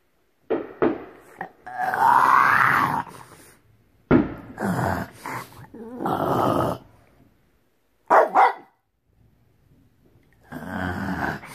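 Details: A female French Bulldog lets out drawn-out, grumbling barks and yowls, protesting the noise of fireworks, which she dislikes.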